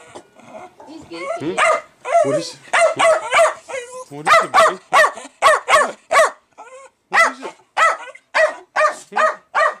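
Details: Jack Russell Terrier worked up over beer fermenting, first whining and yelping while a man asks what is wrong, then launching into a rapid run of loud sharp barks with brief pauses.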